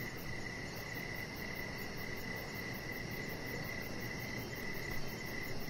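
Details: Crickets chirping in the evening beside a deck where a chihuahua puppy named Rocket lies under decoration lights; short pulsed chirps repeat steadily against a broad, even hiss of background noise.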